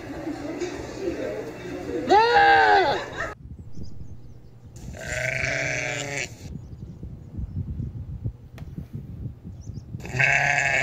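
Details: Goats bleating in the mountains: three loud harmonic bleats, the first wavering and falling, the second long and shaky, the third starting at the end, with quiet background rumble between calls.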